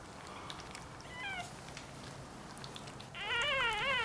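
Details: Newborn Dachshund and Jack Russell Terrier cross puppies, one day old: high thin squeaking cries with wavering tone, a short one near the middle and a louder quavering whine at the end, over a soft background hiss.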